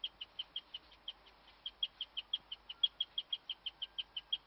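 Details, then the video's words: Female guinea pig chirping in the dark among hutches, a rare noise she kept up for ten minutes while the other pigs froze; short, high, pure chirps repeat rapidly, about five per second, with one brief pause, over a quiet background. "my guinea pig chirping"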